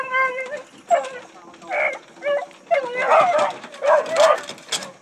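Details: Hunting dogs running deer, several overlapping hoarse bays and yelps in quick bursts, loud and close, with brush noise between calls.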